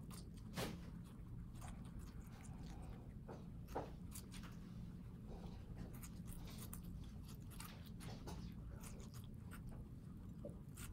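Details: House guinea pigs in New York City eat watermelon, with scattered crisp bites and moist chomping spaced irregularly, a few loud snaps, over a quiet indoor background hum.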